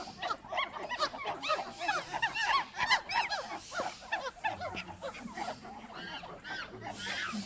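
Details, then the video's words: Monkeys squeal and chirp together in a dense, shrill chorus of arched, bending squeaks, loudest around the third second, then thinning into scattered calls over a soft low rumble. "monkey sounds"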